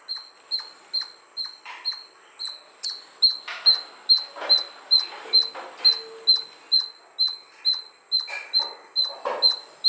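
A squirrel gives sharp, high squeaky chirps repeated rapidly, about two each second.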